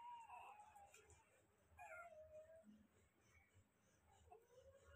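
Newborn Rottweiler puppies give thin, high squeaky whines that slide up and down in pitch.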